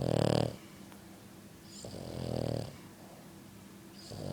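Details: A pet French Bulldog snoring loudly: a short, harsh rattling snore, then a longer, softer one a couple of seconds later, and the start of another at the end.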